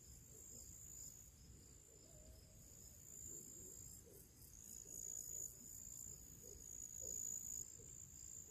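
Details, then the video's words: Crickets and other little creatures in a summer pre-evening chorus: a continuous shrill high tone with rapid pulsed overtones, plus a few soft mid-pitched chirps and a low ambient rumble. "cricket sounds"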